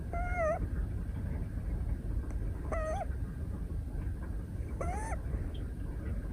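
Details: Female Scottish Fold tabby kitten, 173 days old, snoring while napping in a person's arms at a desk, 12 December 2023: squeaky, whistled nasal tones with a slight bend, one every two seconds or so, over a steady low hum.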